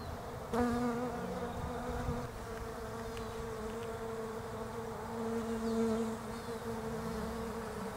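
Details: European honey bees foraging on Desert Ash flowers on a bare-branched tree in autumn, Australia; steady low droning hum with a few louder passes as bees fly close, continuous through the recording.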